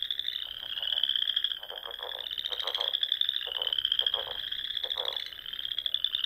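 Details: Spring frog chorus from a pond in Nebraska's Sandhills at dusk, a steady high ringing trill overlaid by rapid bursts of lower, pulsing croaks repeated roughly every half second to second.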